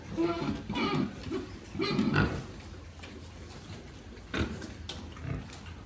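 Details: Farmed pigs grunting in short, rough, nasal bursts near the start, around one and two seconds, and again after four seconds, each with stacked harmonic bands, separated by quieter stretches of steady background noise.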